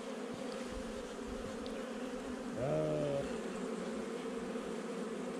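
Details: Honey bees of a recently installed nuc hum steadily during a hive inspection on 8 July 2020; a level droning buzz runs throughout, briefly overlaid by a short tonal sound near the middle.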